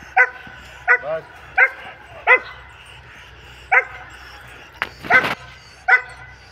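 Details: Double-coated German Shepherd dog barking: seven sharp, clipped barks spaced roughly every 0.7 seconds, each with a clear harmonic ring, plus one short broadband noise burst near the end.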